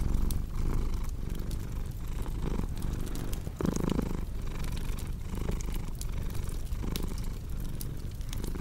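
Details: Rumbling cat purr with regular breath-paced surges, briefly louder near the middle, set against frequent crackling of a burning fireplace.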